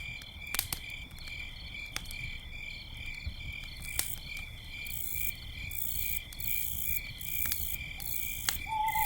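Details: Crickets keep up an unbroken, high ringing trill at night by a campfire, while firewood snaps and crackles at irregular moments and a faint owl note closes the scene.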